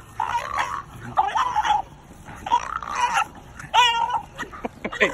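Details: Two dogs, a Doberman and a French Bulldog, facing a raccoon that crossed into their boundary one afternoon; a string of drawn-out, tonal yelps and whining barks, several with wavering pitch, followed by a few short clipped sounds.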